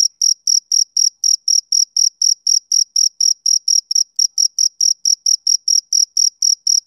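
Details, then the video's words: A male cricket on a summer evening gives a continuous run of shrill, high chirps, close to four each second and about twenty-five in all, uniform in loudness and spacing. "Cricket Chirping Sound Effect"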